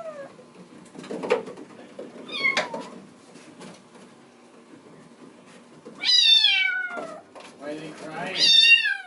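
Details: A Bengal kitten in the kitten room, seeing a person at the screen door, bawls with loud, harmonic meows that slide downward, wanting to be let out while littermates play on a cat wheel.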